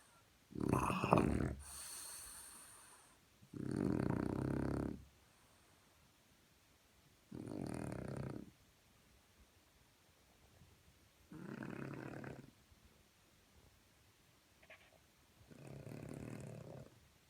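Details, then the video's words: French Bulldog's morning snore: five rough, low, vibrating inhalations about every three to four seconds, the first sharp and snorting, the rest steady rumbling rasps with quiet pauses. "Французский бульдог. Утренний храп"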